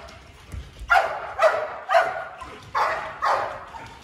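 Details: Malinois barking in a breeding program's bark training, the bark encouraged as a warning signal; five strong barks about half a second apart, with a short gap in the middle.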